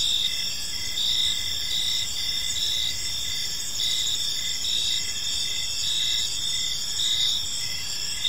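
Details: Crickets in a park in the evening: a dense, steady high-pitched chirping chorus with layered pulsing bands, short chirps repeating about twice per second over a constant shrill drone, faint low background rumble.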